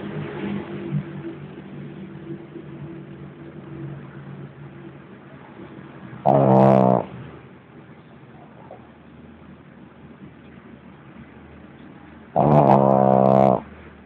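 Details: Lenon, a sleeping pug, gives two loud, rasping snores about six seconds apart, each lasting about a second. Faint, steady breathing fills the quiet stretches between them.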